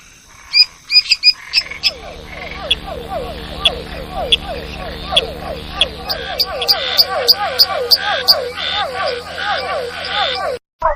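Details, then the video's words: Frog chorus: dense, rapid, throaty pulsed croaks at a low-mid pitch, overlapping continuously, with higher sharp clicks above and a few isolated calls before the chorus swells. "Som de sapas e perereca"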